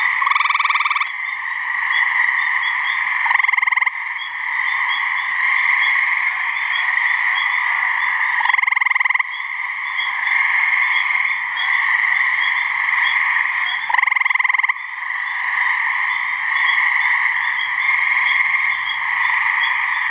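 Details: Gray treefrogs, a couple of males giving mating calls in a swamp in New Hampshire: short pulsed musical trills, each under a second, repeated every few seconds over a steady, dense high droning chorus in the background.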